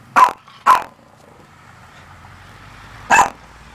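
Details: Female Maltese dog indoors at a church, barking at her own reflection as if at another dog: two sharp, high barks in quick succession, a pause of over two seconds, then a third bark, against a quiet room.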